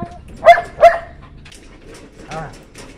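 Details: White German Shepherd puppies letting out two quick, bright yipping barks close together, followed by quieter, softer sounds and faint voices.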